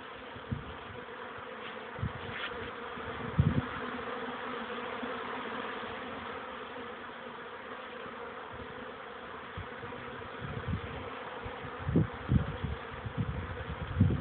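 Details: Honey bee colony's young workers making first flights in front of a hive, 14:04 on 13 May 2013 after days of chilly rain: long, steady buzzing drone with faint low knocks, busier toward the end.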